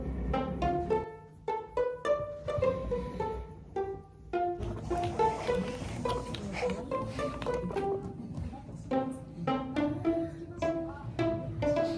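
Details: Plucked string music with cello-like bass notes plays for the whole stretch, and no animal sound is heard.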